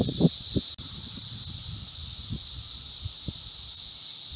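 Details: Periodical cicadas of 17-year Brood V singing in Logan, Ohio, near Vine and Walnut: a steady shrill wall of sound without pause, with a brief dropout near the start and soft low knocks underneath.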